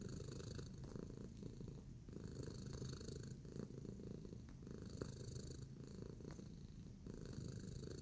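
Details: Tacy, a domestic cat, relaxed and kneading indoors, gives a steady low rumbling purr with soft pulses about once a second, unbroken for the whole stretch with no other clear sounds.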